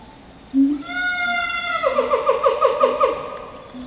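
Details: Ryu's chimpanzee family, including twin girls: a low hoot opens, then a steady high tonal call slides into fast rhythmic pulsing pants, about five per second, fading out with a soft hoot.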